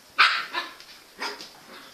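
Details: Engy the Jack Russell Terrier lets out two bright, high barks about a second apart, the first louder and ringing, the second softer, in a quiet room.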